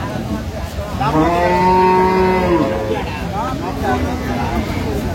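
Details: Dairy cow at the Aftabganj cattle market in Dinajpur, Bangladesh, on a Tuesday market day, 17 June 2025. One long, steady, low moo lasts about two seconds, rising slightly and then falling, over busy crowd chatter and men's voices nearby.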